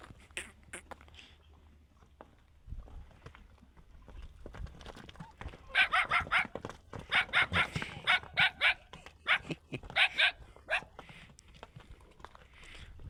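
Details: A donkey that has been kicking dangerously brays in a rapid, rhythmic series of harsh, wheezing pulses after some quiet background voices.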